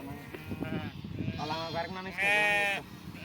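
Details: Sheep at milking time bleating twice in quick succession: a wavering, nasal bleat followed by a louder, higher, quavering one, with a man's voice talking just before.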